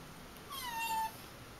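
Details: Domestic cat, looking troubled and pulling a strange face, gives one thin, steady, tonal meow of about half a second that ends abruptly, over a quiet background hiss.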